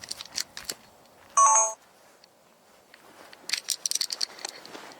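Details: A short electronic beep, like a phone tone, rises over scattered clicks and faint rustling, with no animal voice.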